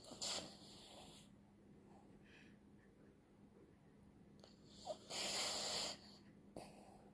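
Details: A poodle snores in two drawn-out hissing breaths about five seconds apart, with faint soft breathing and small clicks between them over a low background hum.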